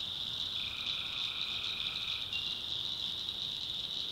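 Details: Night recording of tree frogs in a North Carolina backwoods swamp: one smooth trill lasting nearly two seconds, set against an unbroken high-pitched pulsing chorus.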